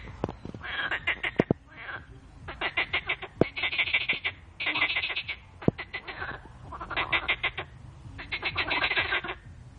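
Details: Frogs in a noisy mating chorus: bursts of rapid pulsed croaks, each train lasting about a second, repeating in overlapping rounds, with scattered sharp clicks in the background.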